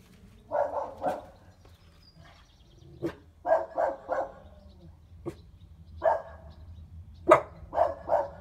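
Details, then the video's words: Dogs Roxy and Evie, a five-month-old puppy learning to bark, in Geneva, barking at the neighbour's cat: clusters of two or three rough, mid-pitched barks separated by pauses, with single sharper yaps between. "Evie learning to bark"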